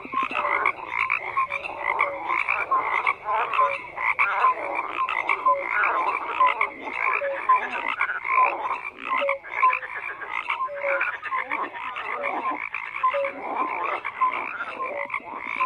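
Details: Many frogs calling at once in a thick, continuous chorus of rapid pulsed croaks, with brief clear notes dotted through at regular intervals.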